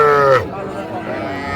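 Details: A single short calf moo, steady and slightly falling, cut off after under half a second, at a Cumilla market in Bangladesh selling small bull and heifer calves on 11 January 2025. Faint voices follow.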